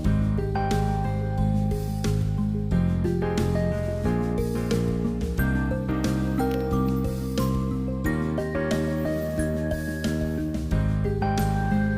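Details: Steady, gentle instrumental music fills the whole recording.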